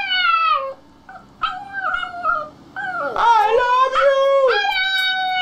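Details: Puppies squeaking and howling: clear, tonal whines that dip and rise, overlapping in a chorus of several voices, with brief pauses between bursts.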